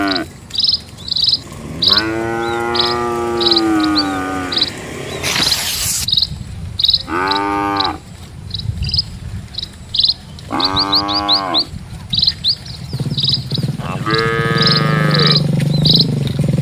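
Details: Dozens of cattle crossing a peaceful countryside road, calling in a series of moos: one long low bellow, then three shorter arched moos a few seconds apart, with constant high bird chirps and rustling footsteps behind.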